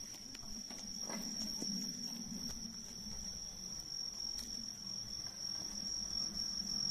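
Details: Bell cricket chirping on the night of the mid-autumn full moon, 18 September 2024: a steady, high, ringing tone holds unbroken throughout, over a faint low rumble and a few soft taps.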